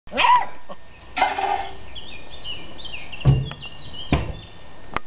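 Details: Beagle barking at another dog: a high, harmonic yelping bark, then a longer strained bark, followed later by two short, deeper barks; thin whistled bird notes sound in the background between them.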